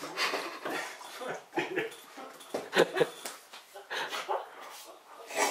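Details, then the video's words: Vizsla named Matteo fussing while being given medicine, a run of high whiny whimpers and yelps rising and falling irregularly, with short cries clustered near the middle and people talking indoors. "Vizsla plays up"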